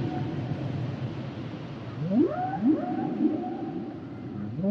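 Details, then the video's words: Singing humpback whale giving a series of rising upsweeps that climb into long, level, higher tones, two strong sweeps close together, set against a constant low ocean hum. "Sounds and Songs Of The Humpback Whales"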